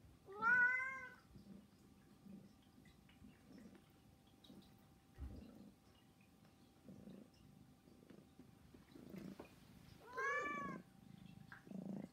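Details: Begging meows from a household of three pet cats named Saba, Hana and Mizore, indoors: two drawn-out, harmonic meows, one at the start and one near the end, separated by a stretch of soft background noise.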